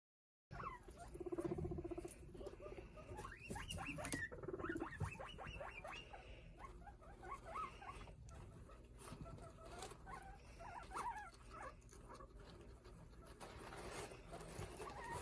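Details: A guinea pig chirps in quick, high, bird-like notes; chirping is its rarest and least understood call.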